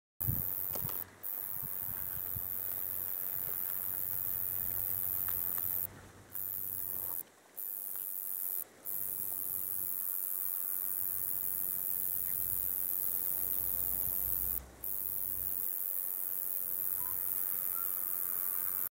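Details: A male Roesel's bush-cricket sings a continuous, high-pitched electric buzz broken by a few brief pauses, on a grassy verge near Kilnsea where several calling males and a female were seen.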